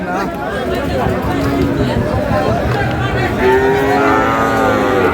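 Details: At a cattle market in Mymensingh, Bangladesh, 18 March, where Sahiwal bulls and calves are being bargained over: men's voices at first, then a long, slightly falling moo swells in the second half amid busy crowd noise.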